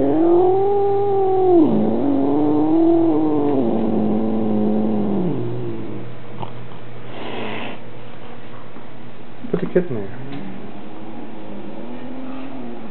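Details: Male Maine Coon cat indoors at home, complaining about a new kitten visiting, recorded on a Minolta Dimage XT camera: two long, low, wavering yowls over five seconds, then quieter moaning with scattered knocks and rustles.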